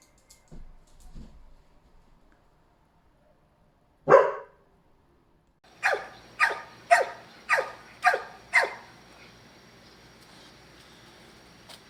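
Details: Dog barking indoors: one loud sharp bark, then after a pause a run of six short, even barks spaced roughly half a second apart, with faint soft knocks early on and a low hum underneath.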